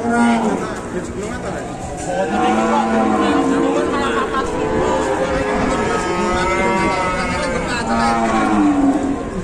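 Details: At Ambarawa's Pasar Pon market in Indonesia, banteng cattle just taken off a truck give a string of overlapping low moos, some rising then falling, over steady background talk from traders.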